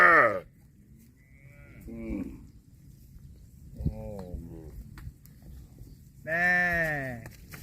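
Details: Cows mooing; a loud falling moo opens, two softer wavering calls follow, then a long strong moo sliding downward closes, with quiet pauses between.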